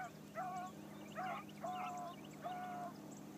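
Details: A new Blackcreek female hound named Bee, on her first morning run down a trail, gives four drawn-out, even-pitched bawling notes about a second apart against a constant low hum and faint high chirps.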